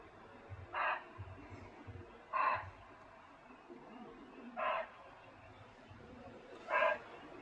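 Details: A barking deer in dense Jim Corbett forest gives continual, sharp, single alarm barks, roughly every two seconds, very close to the gate, with a leopard suspected nearby and other animals disturbed.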